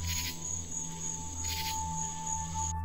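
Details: A common true katydid (Pterophylla camellifolia), found at night on a backyard bush, gives short, raspy three-syllable bursts heard as "Katy did, Katy didn't," made with ridged wings.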